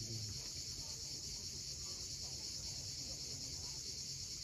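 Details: Cicadas at sunset on the steep coast of Cape Fiolent, Crimea, keep up a continuous, even, high-pitched buzzing drone, with a low rumble of waves beneath.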